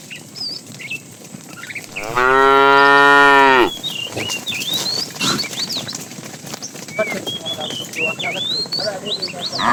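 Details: A single long, steady moo of about one and a half seconds from a tame cow in a herd roaming in the morning in search of food, with busy bird chirps and rustling before and after.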